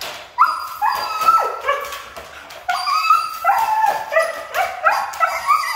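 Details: A Siberian husky said to be hard to train vocalises in long, warbling whine-yelps, stepping up and down in pitch in two running sequences separated by a short pause.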